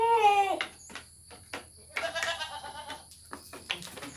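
A goat gives a quavering, nasal bleat that falls away, followed by a second shorter bleat.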